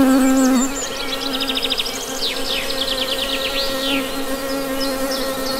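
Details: Constant honey bee hum, a smooth low drone that runs the whole time, overlaid by bursts of rapid, repeated high bird chirps and short trills.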